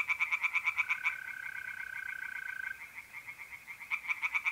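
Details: Tree frogs singing by night in a pond in north-east Italy in mid April: fast, evenly spaced croaking pulses, about seven a second, open and close the clip, with a steady, even trill of mole crickets filling the middle.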